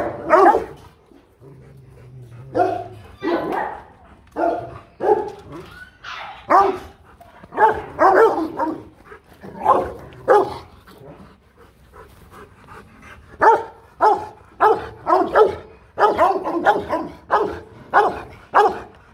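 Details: Rottweiler barking aggressively to threaten another dog: deep, harsh barks in quick bursts of two to four, roughly every second, with short pauses between volleys throughout.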